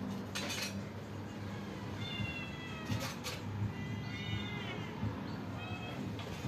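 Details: Cats and kittens waiting for their feeding: several short meows spread across the stretch, some rising then dropping, mixed with sharp clattering knocks and a constant low rumble.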